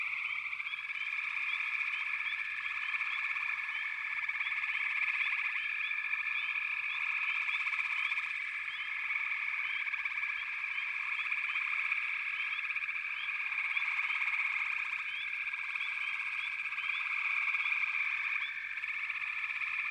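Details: Many frogs in full chorus at a backwater, a continuous shimmering trill with frequent brief rising notes and gentle waves of loudness.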